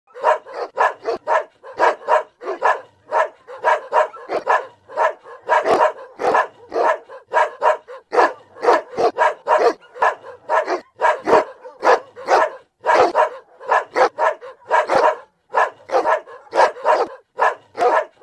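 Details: Boerboel named Smash at Blessed Empire Kennel, barking nonstop; loud, sharp barks repeated rapidly in a steady stream, roughly two to three per second across the whole stretch, with short gaps between bursts.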